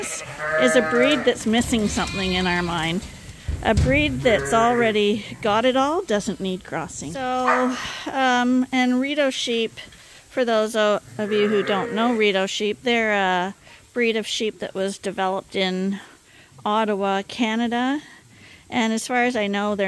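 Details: A crowd of farm lambs receiving supplemental bottle feeds from a hand-made feeder, bleating almost continuously for twenty seconds: many quavering, nasal calls of differing length and pitch crowd over each other.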